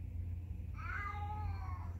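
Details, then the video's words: A single cat meow starting partway through, a drawn-out tonal call that bends slightly downward and fades, with a constant low hum underneath. "Kitty meow"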